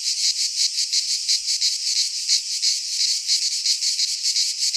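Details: In a Greek pine forest in midsummer, cicadas produce an intense high buzzing that throbs in rhythmic surges about three times a second, a continuous insect wall of sound.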